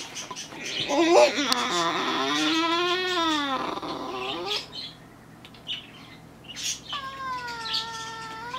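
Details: Isaac, a four-year-old French Bulldog–Beagle cross house dog, whines to ask for play while his owners work at computers, filmed February 17, 2017 on a Canon EOS 70D; a long wavering nasal whine rises and falls, then a steadier higher whine follows.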